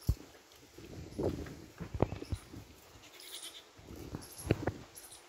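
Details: A goat munches watermelon: sharp crisp snaps and crunches at irregular intervals, several bites clustered in pairs, between quieter wet chewing and faint rustling.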